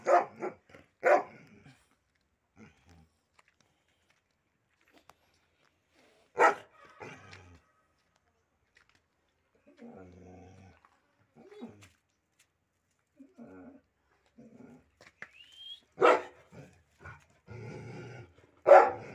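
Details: Pit bull, one of a pair of dogs, barking in scattered single and double barks over a long stretch, with quiet whines and soft sounds filling the gaps between bursts.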